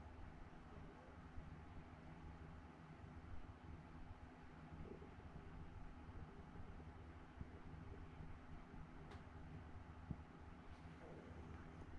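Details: Quiet indoor room tone with low rumbling hum and faint steady noise; no animal calls, only a couple of brief clicks.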